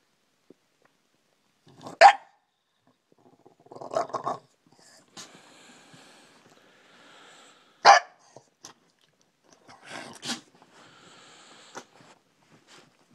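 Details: A bulldog waking its owner gives a few short, sharp barks spaced several seconds apart, with quieter grumbling sounds between them and long stretches of near silence.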